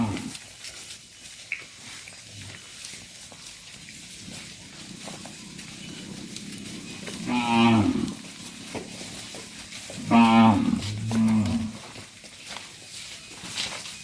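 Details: Cattle, a herd of dozens, being guided back to a farm pen; after ten seconds of low rumbling background, two short bellowing moos sound around the middle and another pair follows a few seconds later.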